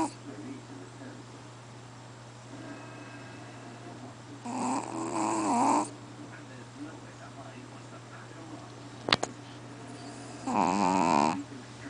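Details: Sleeping Chihuahua QBY giving loud snores: two harsh, buzzy inhaled snores about six seconds apart, each with a wavering whistle, separated by quiet breathing and one sharp click, with a low hum throughout.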